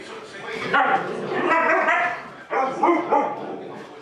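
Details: Huskies left home alone while their owners run errands, one of them, Gertie, aged one at the time; wavering, yowling talk-like howls in two long bursts broken by a brief pause midway, with pitch sliding up and down.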